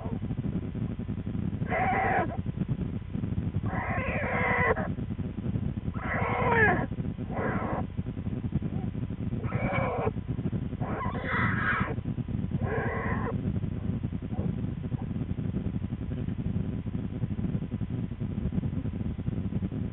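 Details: Twin American black bear cubs with their mother in a winter den on February 13, 2013; a cub complains loudly, giving repeated harsh, buzzy squalling bursts about every one to two seconds over a steady low rumble.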